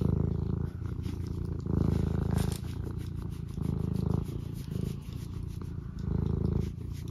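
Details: Tabby cat purring contentedly indoors near a cup of tea, a deep rapid throbbing rumble that swells and fades in waves roughly every one to two seconds.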